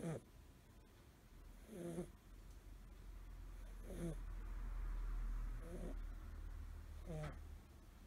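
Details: Asleep and curled up, a five-month-old American Shorthair kitten named Suzu, male blue tabby, gives a repeated gū-gū-pū-pū snore: five throaty, buzzing breaths roughly every 1.8 seconds over a low indoor rumble.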